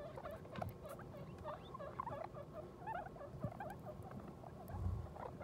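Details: Guinea pig with her newborn babies, born at New Year: a busy run of quick, curved squeaking notes that rise and fall, closely spaced, over low rustling and a muffled thump near the end.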